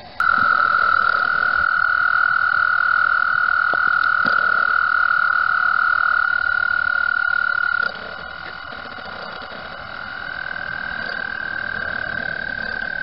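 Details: Spring mating chorus of frogs at Mt Gretna, vibrations rippling in circles on the water: one loud, even, unbroken high trill runs for about eight seconds, then a softer trill continues, with faint mechanical camera noise.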